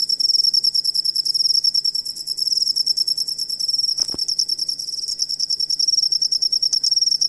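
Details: High, rapidly pulsed cricket chirping played as master material for songbirds; the trill beats in quick bursts, one short knock cuts through near four seconds, and a low hum runs beneath.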